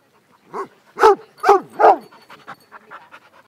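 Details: More than twenty mixed-breed dogs play peacefully together in a small dog school in Szentendre, Hungary. Rhythmic voiced bursts come in a quick run of three or four loud ones, then softer rapid puffs trail off.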